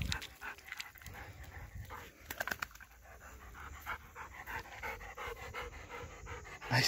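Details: Nine-year-old Golden Retriever Ljubica pants after fetching a wooden stick, soft rhythmic huffs broken by a few sharper breaths, while a man nearby speaks short commands in a Slavic language.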